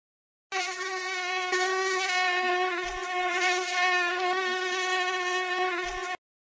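A mosquito's thin, steady high-pitched whine drones on without a break.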